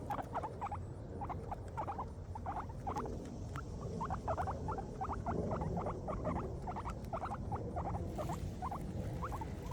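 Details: Several happy guinea pigs eating grass: quick, crisp munching strokes repeat steadily, two or three each second, over a soft low rumble throughout.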